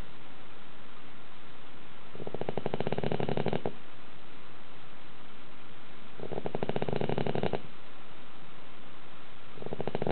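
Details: Dog asleep indoors in a slanted house, snoring with roaring volume; three vibrating, rasping snores, each about 1.5 seconds, recur about every four seconds with soft, silent breaths between.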